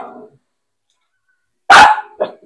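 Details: Filipino native dog (Aspin) during bath time lets out one sharp, loud bark followed by a brief softer yelp, after a quiet pause that opens with a man's voice.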